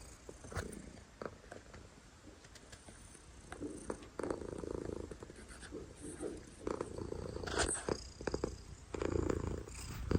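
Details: Domestic cat purring loudly, a soft low rumble swelling in breathy pulses roughly once a second, with occasional sharp clicks and rustles close to the microphone.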